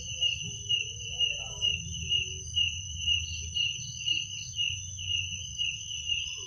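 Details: Crickets chirping at night, a steady high ringing trill pulsing about twice per second, with a second fainter high tone above it and a soft low rumble underneath.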